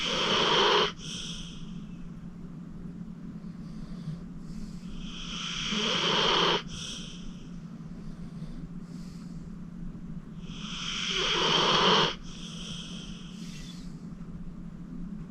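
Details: Acorn, a 14-year-old senior pit bull rescued from the Cuyahoga County Animal Shelter, snores in deep sleep. Rasping inhalations swell over a few seconds and cut off abruptly, roughly every five to six seconds, over a steady low hum.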